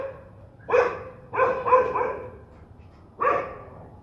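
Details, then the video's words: Angry dogs bark a few times, with a single bark, then a pair of barks run together, then one more bark after a pause, quieter than the rest, with a low hum underneath. "صوت نباح الكلاب الشرسة"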